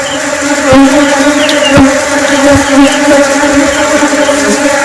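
A honey bee in flight gives a steady, low, droning buzz with a rich, humming tone.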